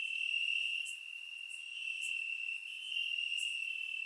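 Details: Crickets chirping in grass on a warm summer night in Bulgaria, recorded with a surround microphone: a steady, unbroken high-pitched trill with slight swells in loudness, plus brief, fainter, higher chirps at irregular intervals.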